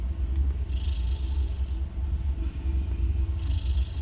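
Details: A nursing mother cat, one day after giving birth to three kittens, snores loudly; a heavy low purring rumble runs throughout, with two breathy hissing inhalations about three seconds apart.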